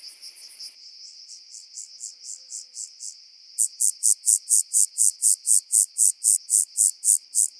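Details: Song of a rock-dwelling grasshopper on Cres, Croatia, 13 July 2022: a faint series of pulses builds into loud, regular high-pitched chirps about four per second, against constant high-frequency hiss.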